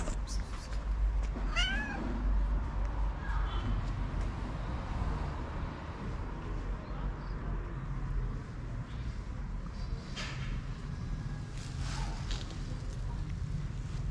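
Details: Tabby cat in Morocco, drawn under a car by the smell of food inside it, gives a short wavering meow early on, followed by fainter calls over a steady low rumbling background.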